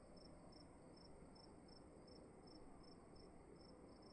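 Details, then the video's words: A single cricket chirping in a dark room at night, crisp high pulses spaced evenly about a third of a second apart, with soft low rumble underneath. "Sound of emptiness and crickets in the room"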